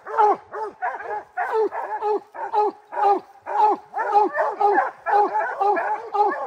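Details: Rocky, a three-month-old puppy bred from Gray's Rack Em Willy and Blackstone's Ram-Paige, treeing his first black bear: quick barks in uneven bunches of two or three, each bark rich and slightly falling, with no other noise.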